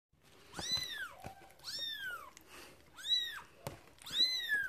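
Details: One-day-old newborn kitten, one of a litter of five, squealing for its mother indoors: four thin, high arched cries, each rising then falling, spaced about a second apart, with faint rustling between.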